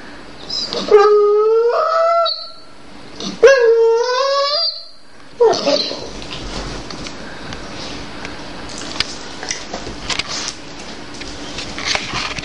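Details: Jade, a female Dobermann, cries and complains indoors because she refuses her current dog food and wants a tastier one. Two long, tonal, slightly wavering whines and a brief third cry, then shuffling and clicking noises.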